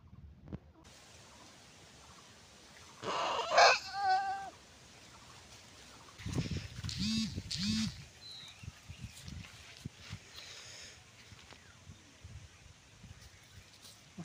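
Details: Goat giving birth on a farm, a brief quavering bleat with a stacked, wavering tone about three seconds in, then low voices, rustling and handling sounds.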